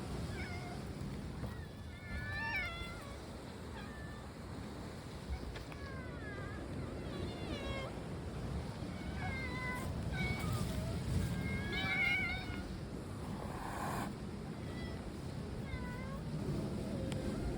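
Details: Several domestic cats, three of them black, in a group described as looking like raccoon dogs; short, separate meows come from different cats, some rising and some falling, over a steady low rumbling background.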